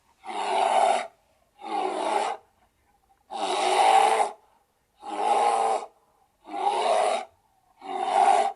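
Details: Bear roaring in six rough, rasping bursts of about a second each, separated by short silent gaps, each blast broad and hoarse with a strong low-middle core.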